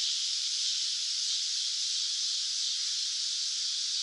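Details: Cicada singing in summer, a steady, even, high hissing buzz with no clear pulses, holding at one loudness throughout.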